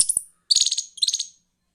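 A young squirrel gives high, sharp chirps in quick rattling bursts.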